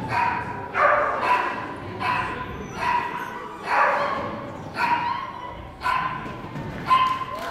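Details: Whippet at an agility training competition in Parnu on 29 November 2014, running a clean tunnel course; sharp, harmonic barks repeat roughly once a second over a steady murmur of crowd noise and voices.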